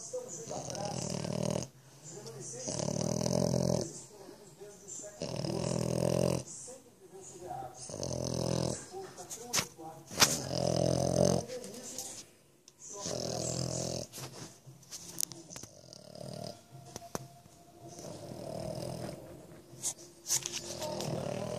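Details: Sleeping French Bulldog lying in its owner's lap, snoring in long noisy breaths that recur every few seconds, with quieter gaps between them; light speech or household sound in the background.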